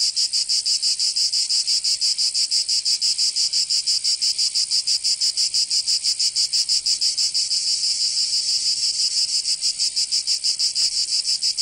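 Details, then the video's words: Cicadas singing in summer in Provence, southern France: a dense, high, buzzy rasp pulsing steadily about three times per second, with no pause and no other animals or voices. "Canto Cigarra"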